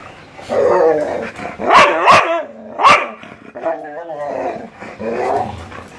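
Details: Playful Siberian Husky and Labrador, one urging the other to play: grumbling growl-like vocal sounds rise into three sharp, ringing barks, then drop back to low rolling grumbles.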